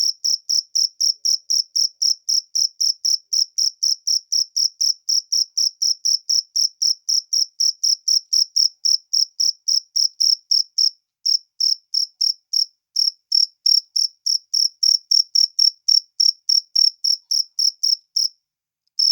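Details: Cricket calling in the wild, a continuous run of sharp high chirps about four per second, slightly uneven toward the end with brief pauses between pulses.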